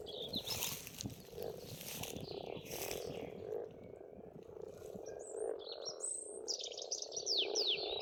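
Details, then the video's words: Many frogs calling from a pond at an Estonian farmstead in spring, a steady low droning chorus of overlapping croaks, joined by high whistled and chirping birdsong and some brief rustling bursts early on. "пение птиц и лягушек"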